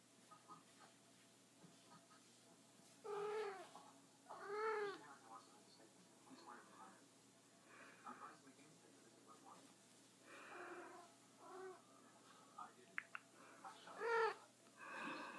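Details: Female pet cat that seldom meows, trilling: short rolled chirps rising then falling, two near the start and one at the end, with a person speaking softly indoors between them.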